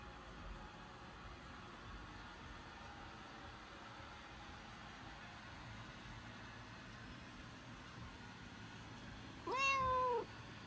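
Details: Black cat that dislikes the sound of the vacuum cleaner gives a single short, clear meow near the end, heard over a steady broad mechanical hiss.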